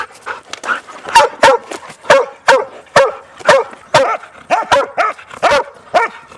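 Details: Noisy Huntaways barking on a Sunday trail walk with three dogs including Sophie; loud sharp barks roughly every half second, steady and insistent, with fainter yips early on.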